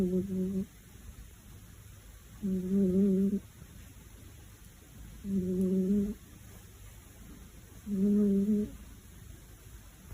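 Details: A cat's loud purring beside a kitten that cannot sleep. Four evenly spaced bursts of low humming, each just under a second long, come roughly every two and a half seconds, with quiet pauses between them indoors.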